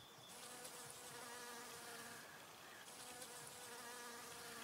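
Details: Honey bee taking nectar from flowers, humming continuously with an even, low droning buzz rich in overtones, slightly louder near the midpoint, against a hissing background.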